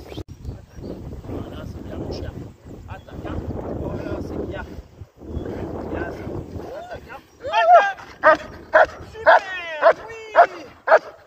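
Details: German Shepherd during IGP competition training: a human voice talks for several seconds, then the dog breaks into loud, evenly spaced harmonic barks, roughly two per second, some with rising yelping onsets.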